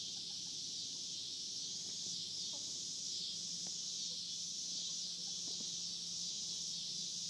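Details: Constant sizzling cicada chorus at the Hard Fifty Farm, with a few soft clicks and taps scattered across the recording.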